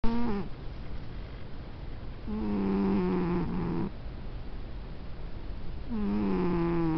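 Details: Sleeping pet cat snoring indoors: low, droning breaths with a steady harmonic hum, each lasting about half a second to one and a half seconds, separated by quieter pauses of roughly two seconds.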